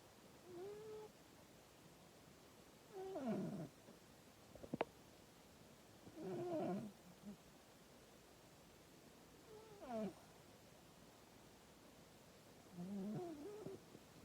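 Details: Scampi, a female pet cat, snoring loudly enough to wake her owner indoors: wavering, tonal rasping breaths that rise and fall, repeating roughly every three seconds, with a single sharp click between them.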